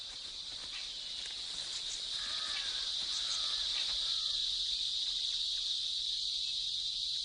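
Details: A male cicada sings its loud nuptial song, a continuous high-pitched buzzing drone made by a vibrating body membrane to attract females, reaching up to 110 decibels.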